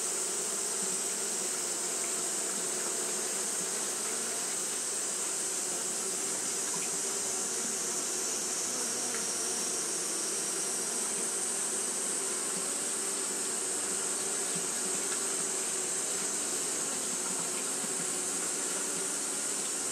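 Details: Continuous fanning by Japanese honey bees during hot weather, heard as an even, unbroken droning hum with faint flickers of individual wingbeats over a constant airy hiss.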